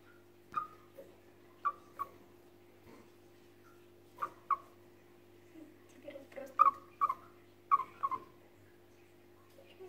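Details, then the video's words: A chipmunk calls, possibly when frightened, giving short, sharp, falling chirps in irregular bursts over a low electrical hum. "Бурундук подает голос."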